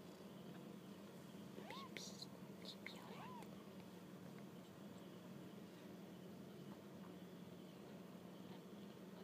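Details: Kittens on their first walk about give two short arched mews close together in the first few seconds, then go quiet over a steady low hum.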